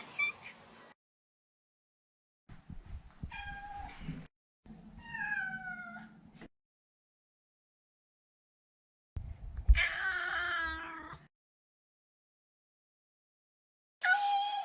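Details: A neutered male Maine Coon named Maro makes a series of separate meows across about fifteen seconds. Some are short and bend downward, and one is a longer, rougher mew. Quiet gaps fall between them, with soft indoor rustling underneath.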